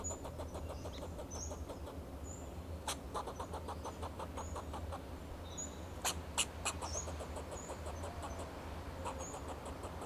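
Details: In Del Monte Forest, California, a fox squirrel sounds alarm from a Monterey pine to guard itself and its territory. Series of clipped, rasping chucks come in short volleys, with scattered high chirps and a low background drone.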